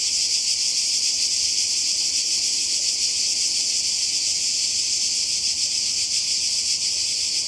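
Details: Cicadas in Croatia by the sea during a summer holiday in 2020: a dense, unbroken high buzzing chorus with a fast pulsing shimmer that holds steady throughout, with no other clear sounds.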